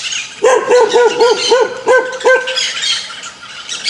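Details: An angry dog gives a fast series of seven short, sharp barks, then falls quiet while high bird chirping continues behind.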